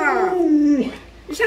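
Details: Pet Alaskan Malamute, spoiled by grandma, producing a short howl that glides downward and fades, followed by a woman's voice.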